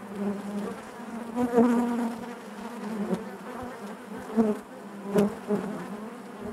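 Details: Inside a honey bee hive, many bees hum together in a continuous low buzz, rich in overtones, with brief louder swells from individual bees near the microphone at about one and a half, four and a half and five seconds.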